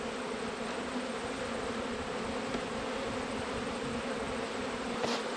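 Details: Colony of honey bees during an autumn inspection among twelve hives, giving an unbroken low hum, thick and steady throughout, with a faint tap near the end.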